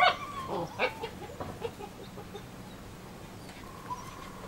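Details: German Shepherd puppies from a litter born 27 July 2014, two males and four females, giving a few short high yelps and whines in the first two seconds, then falling quiet over faint background noise.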